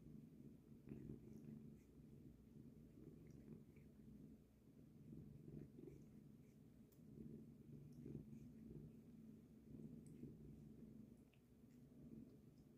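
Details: A cat purrs steadily while washing its face, a low, continuous rumbling throb that pulses evenly throughout, with faint scattered clicks of licking above it.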